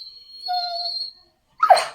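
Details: Pet Labrador Retriever whining as its owner prepares to leave the house: a steady, high, tonal whine lasting about half a second, preceded by a thin sustained high tone, then a brief rough noisy burst near the end.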